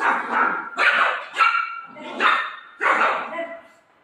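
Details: Golden Retriever dogs playing with their mom, giving five loud, high, harmonic yelping barks and whines in quick bursts roughly every seven tenths of a second, with a woman's voice talking over them.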